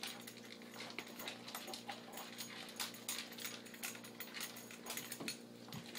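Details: Buckles the pug gulps down food quickly: soft repeated chewing clicks and wet licks at an irregular rhythm over a steady low hum, ending with a faint scrape.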